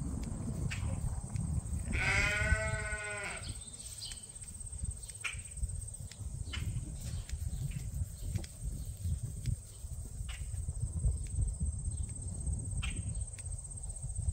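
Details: Ram at Ewetopia Farms, a large registered Suffolk and Poll Dorset sheep farm, gives a single wavering, harmonic bleat of about a second and a half, followed by low rumbling handling noise, scattered clicks and faint chirps.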